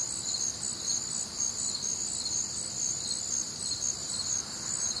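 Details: On a warm, humid summer night in the Midwest, crickets and other nocturnal callers: rapid high chirps repeating about twice per second, layered over a continuous bright insect trill.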